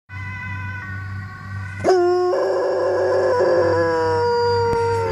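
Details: A Weimaraner, set off by hearing a siren, howls with a sudden rising yelp, then a long wavering tone sliding slowly downward, rich in harmonics, over a low steady hum.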